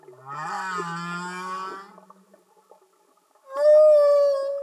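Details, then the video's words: Humpback whale song underwater, a low buzzy groan with rich harmonics, a pause of silence, then a clear, loud, steady wailing tone that slowly fades. "Amazing singing Humpback Whales"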